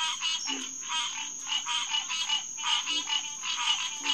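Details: Green tree frogs (Hyla cinerea) at the Headquarters Pond, SMNWR, June 2, 2021, 9:10 pm: short nasal quonk notes repeated about three times per second in an uneven overlapping chorus, over a steady high whine.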